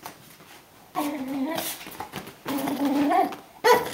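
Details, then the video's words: Brittany Spaniel named Lucy welcoming her owner home at the door, giving rough, grumbling whine-growls in two drawn-out bursts followed by a short sharp yip, indoors. "Brittany Spaniel saying hello at the door"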